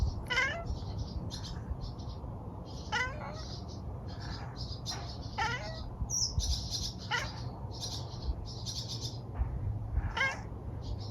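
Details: Domestic cat chattering at a bird in a garden in New Zealand: short harmonic chirps and clicks at intervals of one to two seconds, over steady low background hum, with faint high bird twitters throughout.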